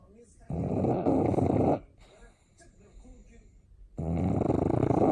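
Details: Pug named Sakura snoring loudly during a daytime nap indoors, said to sound like a fur seal up close: two long, rasping, broadband snores, each over a second long, separated by a quiet breathing gap.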